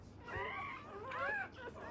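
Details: Freshly born black Labrador Retriever puppy, part of a first litter and given emergency revival; two squealing cries sweep upward and then fall, thin and high, over quiet room noise.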